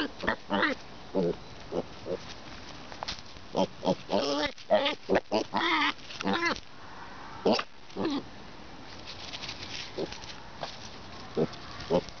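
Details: Pet boar being noisy while trying to eat the camera; close, irregular bursts of harsh grunts and short squealy oinks, some with wavering tone, about two a second with pauses between.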